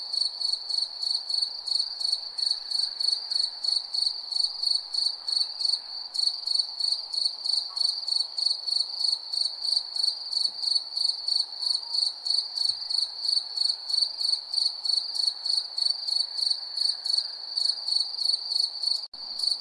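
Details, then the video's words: Chirping crickets at night, a persistent shrill pulsed trill about three beats per second with a higher faint layer, soft background hum, and a brief click near the end. "crickets chirping sound"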